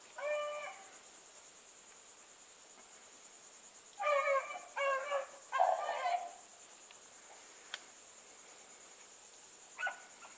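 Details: Running Bluetick Coonhounds accompanied by a dog called Sassy: one early bay, then a cluster of three strong, tonal bawls around the middle, a click, and a last faint bay, against a continuous cricket-like buzz.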